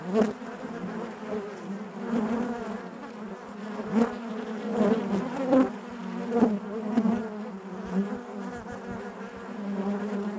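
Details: Natural buzzing of honey bees within their hive: a constant low drone punctuated every second or two by short, louder buzzes as bees pass nearby.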